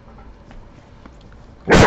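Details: Domestic dog gives one sudden loud bark at the end after a quiet stretch of low room noise, while a person nearby tells it to go to sleep.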